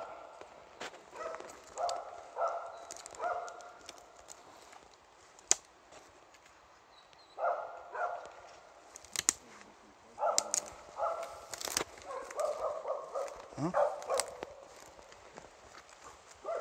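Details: Catahoula Leopard Dogs Missie and Jäger holding a heifer at bay in Broby, the heifer standing in water: loud, harsh barks come in short clustered bursts several times across the clip, with scattered clicks and footsteps between them.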